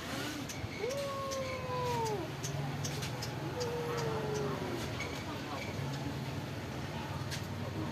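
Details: Stray cats living at a pagoda, fed rice and fish: two long, slightly falling meows in the first half, then one more, over steady vehicle rumble and faint voices.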